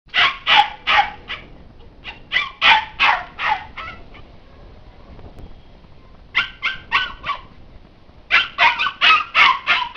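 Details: Pet Labrador Retriever at home, barking while trying to get past a homemade ladder fence that blocks it from the gate. High, sharp yelping barks come in quick bursts of four to six, with short quiet gaps between bursts.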